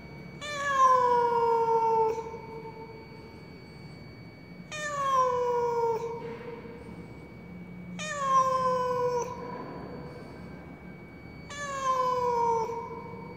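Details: Apparently lost in a tall apartment block's stairwell, a cat cries sorrowfully, four sustained downward-sloping meows about one and a half seconds long, evenly spaced roughly every three and a half seconds, steady low hum behind.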